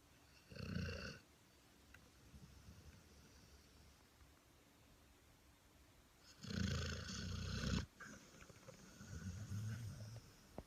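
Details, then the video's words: A sleeping Labrador Retriever snoring: low, rough breathy snores, one short snore near the start, then a longer, louder snore after a quiet stretch and a softer one following, with faint hiss between. "Snoring dog"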